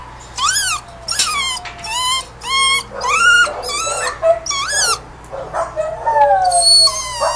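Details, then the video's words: Kenneled two-year-old male Beagle/Pug mix cries to get out: loud, high yelping whines in quick successive bursts, each sliding downward, about two per second, ending in longer drawn-out whimpers. "Beagle/Pug mix wants out..!!! (Just listen to his cries)"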